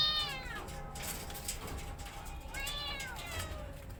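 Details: Mother cat with her kittens, one crying in two drawn-out meows, the first fading from high to low, the second rising then falling a couple of seconds later, over low background rumble.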